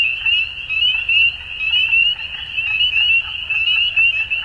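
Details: At dusk, frogs produce a ringing high trill in unbroken chorus, punctuated by brief louder bursts about once a second and faint higher chirps, over a low murmur.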